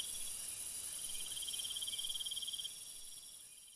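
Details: Crickets chirping at night, fast high trills pulsing several times a second in a steady chorus that fades slightly toward the end.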